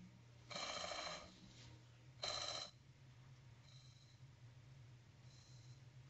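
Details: Sperm whale echolocation heard in the complete darkness of its mile-deep feeding dives: two dense bursts of rapid, crackling clicks that sound like buzzing rasps.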